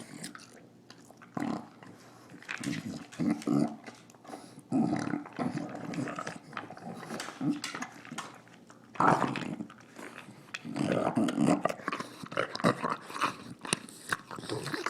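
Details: Nila, a female English Bulldog, snorting and snarling through her dinner: bursts of rough, pig-like snorts and grunts in uneven clusters, separated by quieter gaps filled with eating noises.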